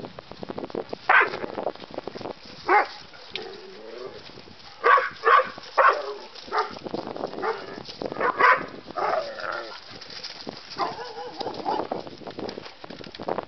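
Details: Two dogs, a terrier mix and a bulldog, learning to play, with scattered single barks and yelps spaced several seconds apart over scuffling and rustling noise.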